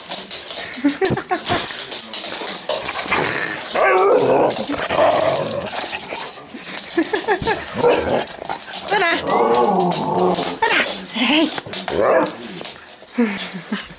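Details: Huskies greeting their owner back home after a week away at a husky camp in North Wales; excited, wavering whines and yelps, some warbling howl-like calls, over clattering movement and a person speaking Dutch.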